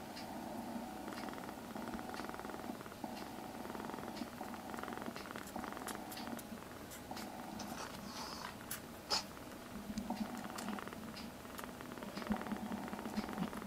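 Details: Foster kittens indoors, rescued kittens being socialised in a home: a steady low purr hums throughout, with faint clicks and brief rustling sounds scattered over it.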